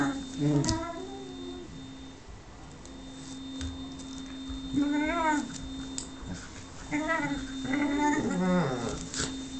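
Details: A whippet named Lux pleads for Sophia's affection with a series of nasal, bending whimpers, one early and a cluster of three toward the end, over an indoor hum and faint voices.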